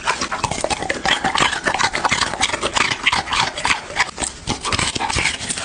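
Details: Close-up ASMR recording of a dog eating, with dense, bright crunching and wet clicking chews following one another rapidly, loudness swelling and dipping with each mouthful.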